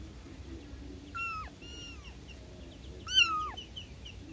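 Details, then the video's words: Newborn kittens calling for their mother: three thin, high mews, each sliding up then dropping away, with the final cry loudest, over a low steady background hum. "SUARA ANAK ANAK KUCING BARU LAHIR MEMANGIL INDUKNYA"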